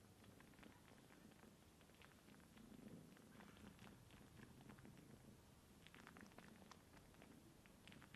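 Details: Young kitten Sunshine nursing on her kittenless aunt Divine, dry sucking in place of her mother Dreamcatcher; a low rumbling purr holds steady under bursts of quick clicking suckling noises, busier near the end.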